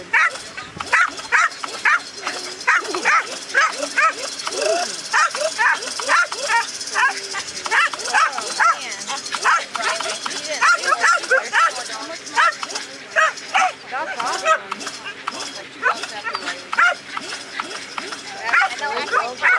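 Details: Female American Staffordshire Terrier chasing the lure during an AKC Coursing Ability Test in Ocala, Florida, on April 28, 2012. She gives rapid, sharp barks, several each second, throughout. Voices are heard in the background.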